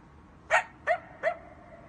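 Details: Coyote (Canis latrans) at night gives three short, sharp yips in quick succession, the last trailing into a brief whine.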